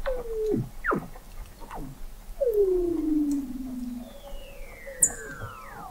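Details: Under Antarctic sea ice in McMurdo Sound, November 2017, Weddell seals recorded from an observatory 21 m below the ice give steep falling chirps and a long downward-sliding whistle, with high faint glides overlapping near the end.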